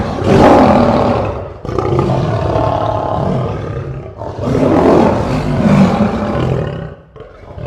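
A lion gives deep, rasping roars in long, loud bursts, with a grunting pause between them.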